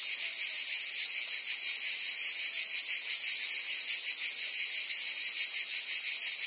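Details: Cicadas singing in summer in Provence, France: a dense, continuous high buzzing chorus with a faint pulsing texture of about three beats per second, steady in loudness throughout, no other sounds.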